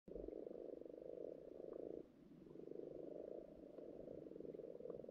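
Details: Many frogs croak underwater in a garden pond during spawning season, forming a dense, purring chorus of rapid low pulses that rise and fall in steady waves.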